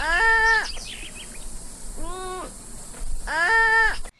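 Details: A sloth gives three soft, arching, baby-like cries, each about half a second long. Sloths call when in danger, when happy, or sometimes when confused.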